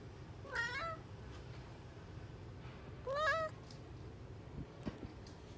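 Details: A cat, one of the Somali and Bengal cats featured, meows twice about two and a half seconds apart. Each meow is short and wavering and rises then falls. A soft tap follows, with a faint steady hum behind.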